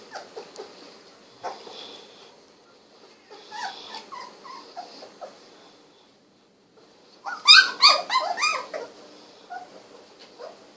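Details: Sixteen-day-old Golden Retriever puppies, eyes recently opened, wiggling indoors: scattered soft whines early on, a pause, then a loud burst of rapid, high, harmonic yelps and squeals near the end.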